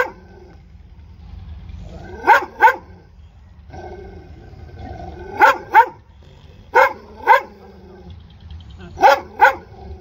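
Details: Dog barking in doubled barks, each pair of sharp yelping barks coming about every two to three seconds, four pairs in all, over a low background hum.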